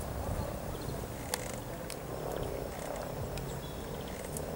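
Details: Mass of mating frogs by the river at Cow Tower, Norwich, on 7 April 2013: dense, steady low purring and grumbling from many animals at once, broken by a few sharp clicks and faint high bird notes.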